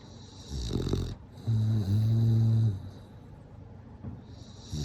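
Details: Snoring bulldog, asleep: a brief gravelly inhale, then a sustained low humming buzz lasting over a second, followed by quieter breathing and the start of another rasping breath.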